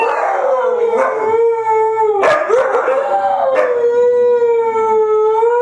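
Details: Group howling by three white huskies, layered continuous tones that waver and slide, overlapping voices swelling midway, steady and loud throughout with a few short clicky noises.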